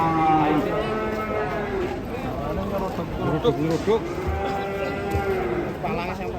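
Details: Angry Indonesian cattle bellowing, layered drawn-out moos with rich harmonic stacks sliding up and down, overlapping calls throughout, with thumps and some human voices in the background.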